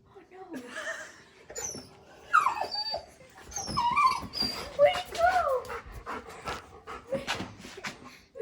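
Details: A Golden Retriever, Fezziwig, gives high, wavering whines and yips that slide up and down while talking to little birds outside a store window, the only time he makes these noises.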